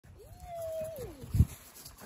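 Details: Siberian Husky giving a single drawn-out howl-like call, rising then holding a steady tone before sliding down over about a second, followed by a short low thump, with a constant background hum.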